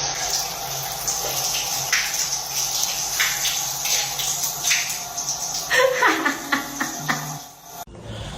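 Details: Water runs from a tap over background music and voices, ending abruptly, with no animal call heard.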